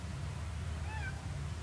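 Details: A cat out on a nature hike gives one brief, soft meow that rises and then dips, heard over a steady low rumble of wind or handling noise.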